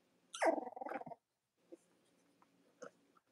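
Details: Cavalier King Charles Spaniel puppies from Robin and Myra's litters, indoors on a chilly Monday morning: one loud, falling, harmonic squeal lasting under a second, followed by near silence with faint small rustles and snuffles.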